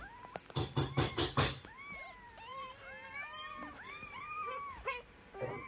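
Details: A kitten together with its mother cat, producing a steady stream of arched, rising-then-falling meows about twice a second. These follow a burst of rapid rustling taps at the start, with faint room noise underneath.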